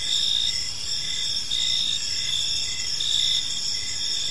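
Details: Crickets in a peaceful park at dusk give a steady, shrill multi-layered trill, swelling in short bursts roughly every one and a half seconds, with a quieter pulsing chirp below.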